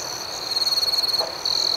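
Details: Night crickets: a loud, rapidly pulsed high trill of about a second, then a short pause and another sharp trill starting, over a constant thin ringing chorus.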